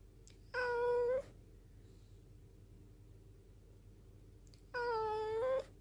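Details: Black rescue cat, rescued in 2013 in a mountain village, calls insistently at its owner with a low voice despite sounding cute: two drawn-out, steady meows about four seconds apart, with quiet background in between.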